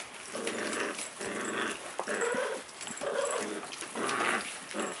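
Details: Puppy growling during play: a rough, rumbling growl broken into bursts of about a second, rising and falling almost continuously, with some higher yelping edges, indoors.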